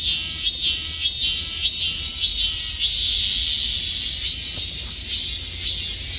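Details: Piercing cicada buzz pulses steadily, with bright swells of sound returning roughly every half second over an unbroken hissing whine.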